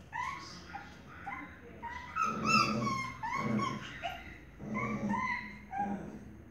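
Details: Maltese mother tending her small puppies indoors, with high, thin whimpers and squeaks repeated rapidly in clusters. Soft rustling and bumping of movement accompany the cries.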